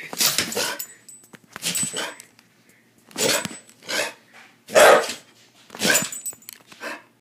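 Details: Dog barking in five loud, broad bursts spread over about seven seconds, each a short cluster of harsh barks separated by quiet gaps, with a person speaking briefly just before.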